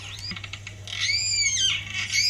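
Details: Wild Australian killer whales (Orcinus orca), mammal-eaters, recorded underwater in Bremer Bay, Bremer Sub-Basin, off south-west Western Australia, trade high, squealing calls that arch up and down after a few quick clicks, communicating with family members.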